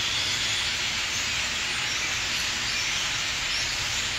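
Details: On 27 August 2013, in a backyard hollow in Athens, Ohio, a steady, dense cicada chorus gives a continuous high shimmering hiss with slow swells in intensity, and no distinct bird notes stand out.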